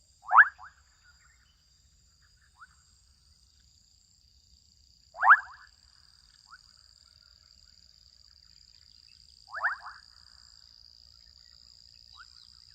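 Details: Young frogs calling out in a wetland in Kenya, three loud clipped croaks about five seconds apart, each trailed by a soft stuttering rattle, with a continuous thin high-pitched insect drone behind.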